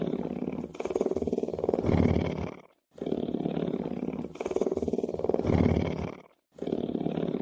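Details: Lion purring: a deep, rumbling, rapidly pulsed drone in long bursts of roughly two seconds, broken by brief silent breaths, with no other sounds.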